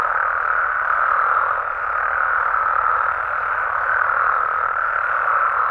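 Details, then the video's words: Short stretch of a Mexican frog and toad chorus after dark, a seamless rolling din of many croaking voices concentrated in the midrange, steady in loudness with no other sounds standing out. "Mexican Frogs & Toads Sounds"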